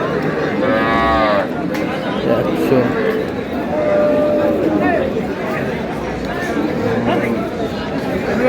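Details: Cows and calves at Ambari cattle market, dated 17/8/26; one drawn-out harmonic moo early on, then fainter lowing among steady crowd chatter and men bargaining over prices.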